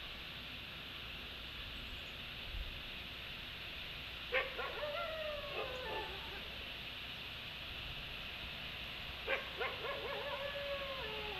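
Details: Wolves give two brief chorus bursts of yips and wavering, falling howls about five seconds apart, over a steady rushing hiss of water or wind, at a creek where cranes are present, morning of 30 December 2015.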